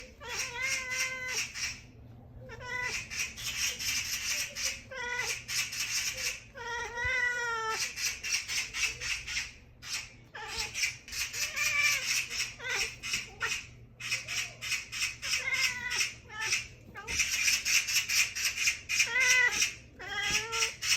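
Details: Agitated cat chattering: a run of short, harmonic, nasal calls with rapid stuttering pulses, repeated in bursts with brief pauses, some rising and falling in pitch, with a person speaking briefly at the end.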